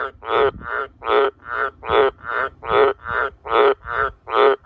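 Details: Wild Australian green tree frog calling at night around a farm house and sheds, very loud: harsh, low croaks repeated steadily about once every 0.4 seconds, each a short pulsed burst, with no other sounds beyond faint low background rumble.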